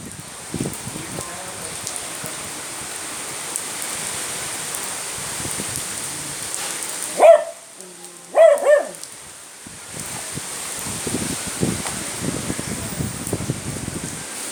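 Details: A 12.5 kg beagle barks at the rain, giving three short, sharp barks over steady rainfall.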